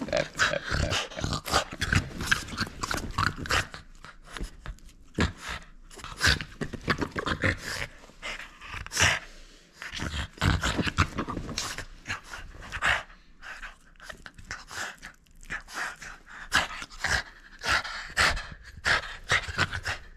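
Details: French Bulldog at play, refusing to hand over its toy, snorting and huffing continuously for twenty seconds: dense, irregular bursts of noisy breaths and snuffles with occasional brief pauses.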